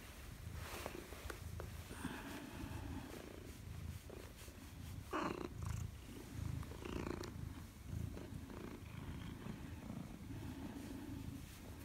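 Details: Pet Maine Coon Madoka welcoming her owner home on 4 December 2019, purring steadily and quietly throughout, a low continuous rumble with rhythmic swells, plus soft brushing and handling sounds in a quiet room.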